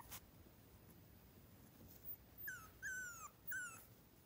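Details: A three-week-old miniature schnauzer puppy, kept near Radisson, Saskatchewan, gives three sharp, falling squeals in quick succession after a near-silent start, each a thin high cry sliding downward.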